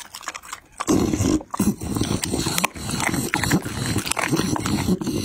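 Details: A Pit Bull eats chicken and raw meat, chewing and crunching with wet smacking and low grumbles.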